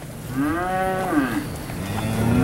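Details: Cattle at a sale barn, a steer load offered at auction in Alabama; a drawn-out moo with a rising then falling tone, followed by a second lower moo, against steady background murmur.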